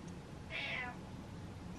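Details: A pet cat, Butters, calls to dad to switch the lights on. One clear, bright meow rises then falls in the middle of the clip, with quiet low background hum and no other voices.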